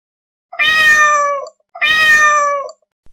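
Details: Domestic cat meowing: two clear, drawn-out harmonic meows about a second each, separated by a short pause, slightly falling at the end, in a quiet setting.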